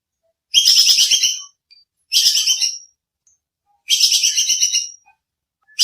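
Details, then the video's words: Clear sharp bajing kekes squirrel calls used as songbird training audio: three dense, rapid-pulsed chatters near a second long, harsh and high-pitched, then the start of a fourth, in otherwise silent surroundings. "Suara bajing kekes buat masteran kicau || Suara jernih full nembak"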